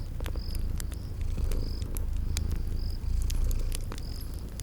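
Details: Loud, deep purring from sleeping kitties swelling and easing in breaths, over crisp fireplace crackles and a few high, brief cricket chirps in a spring garden ambience.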